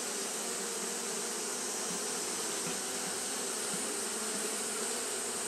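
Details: On a hot day, Japanese honey bees keep fanning, producing an unbroken swarm drone, a smooth buzzing hum with slight flickers of individual wingbeats under dense hiss.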